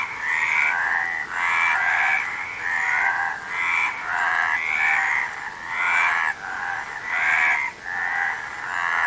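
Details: A frog chorus of harsh, trilled croaks repeating roughly every second, many voices layered into a steady pulsing rasp.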